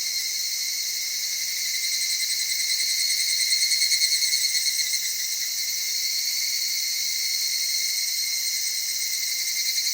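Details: Soft-voiced evening cicada heard in the cedar forests and highlands of Okutama, Tokyo, Japan, at dusk or dawn; continuous high-pitched shimmering chorus, rising to a rapid pulsed burst around midway, then steadying.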